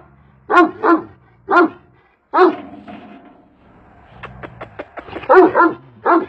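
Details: Karabaş, a large Kangal shepherd dog, gives a double woof, then single heavy barks. A quieter stretch carries faint tonal sounds and a series of sharp ticks before two more deep barks close the run.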